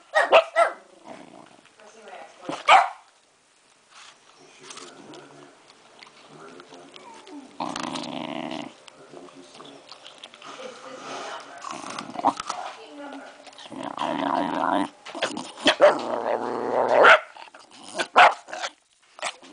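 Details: Henry, a pet Rat Terrier that loves apples, eating an apple indoors, recorded October 25, 2009; low growling grumbles and scattered crunching and chewing noises between pauses, with human speech over it.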